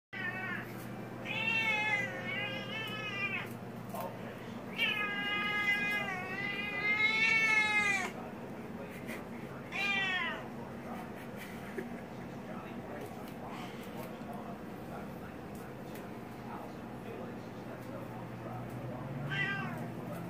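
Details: Several noisy Siamese kittens complain at being kept off the kitchen counter, indoors. Loud, wavering, harmonic meows come in bursts, some long and rising then falling, with a final short meow near the end and a low steady hum underneath.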